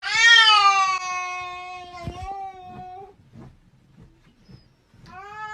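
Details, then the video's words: Domestic cat giving a long, loud meow that starts high and slowly falls over about three seconds. Soft shuffling and tapping noises follow, then a second meow begins near the end. "Funny cat sound"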